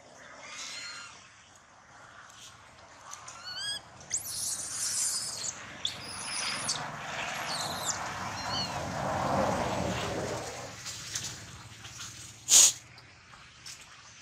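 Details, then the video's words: Baby monkey bitten on the leg by a big male, the leg nearly severed: a stacked, harmonic squealing call, then harsh broadband cries amid rustling and clicks, with one sharp high burst near the end. "Thương Hại Chú Khỉ Con Bị Khỉ Đực Lớn Cắn Gần Đứt Chân"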